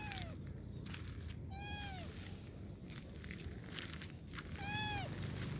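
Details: Kitten asking for help, giving thin high meows that arch then fall, three cries a second or two apart, over a loud steady low rumble of outdoor noise.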